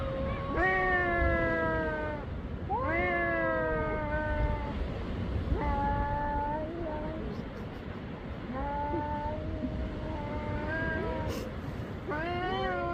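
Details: Black cat meowing during a meeting, a series of short-to-medium meows about every two seconds, each starting high and sagging downward, against a low background rumble.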